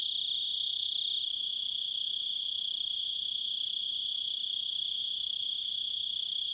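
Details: Nature recording of crickets making a steady, shrill, high-pitched trill of fast, even pulses. A fainter higher overtone rides above it, and nothing else stands out.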